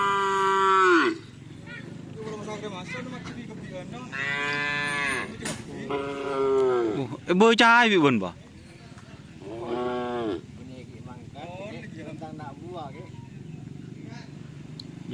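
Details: Madura racing cattle (karapan sapi) being bought in preparation for an anniversary event: several drawn-out harmonic moos, some level and some bending up and down, spaced through the stretch. Quieter rumbling background between calls.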